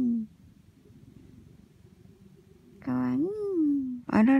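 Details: Mac, an affectionate orange tabby cat, cuddles on his owner on a windy winter day, filmed on iPhone indoors; a low, steady rumbling purr runs for over two seconds, then a woman's voice speaks over it.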